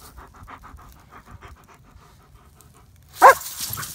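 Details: German Shepherd panting in rapid, soft breathy pulses repeated about twice a second, then a brief louder rustling burst near the end.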